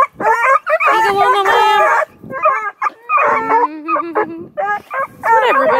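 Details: About two dozen bluetick, redbone, black-and-tan and beagle-mix hounds at a kennel near Kingston, Ontario, in freezing weather, bay and howl together in long, wavering, overlapping bawls. Short barks and yips break in between.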